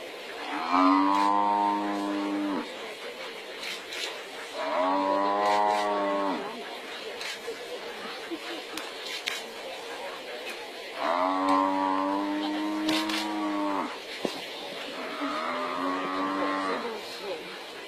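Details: Wild buffalo surrendering to a pride of lions before another buffalo rescues it; four drawn-out, nasal bellows of two to three seconds each, spaced by short silences over steady background hiss.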